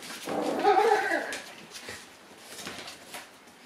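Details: Two-month-old Shiba Inu puppies, grown playful and boisterous, let out a brief high whining yelp that rises and falls within about half a second, then fades into quiet indoor room noise.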